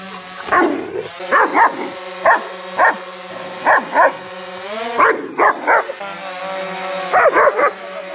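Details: A German Shepherd meeting a DJI Phantom 4 quadcopter drone for the first time gives short, sharp barks in irregular bursts over the drone's steady mechanical hum.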